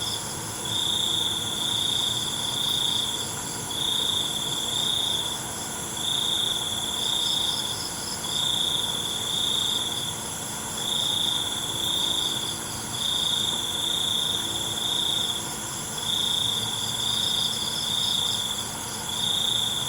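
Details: Night crickets trilling in short high pulsed bursts, one after another with brief gaps, layered over a constant shrill insect chorus.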